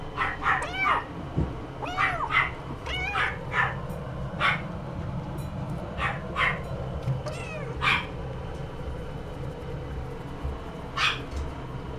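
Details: Somali cat meowing repeatedly: many short arched, tonal mews rise and fall, often in quick pairs or runs, mixed with a few breathy bursts over a low steady indoor hum.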